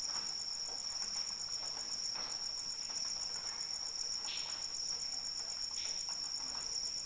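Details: Continuous cricket chirring in the rain, a thin high ringing note with quick regular pulses layered on top, never breaking, while soft rain hisses and a few louder drops land.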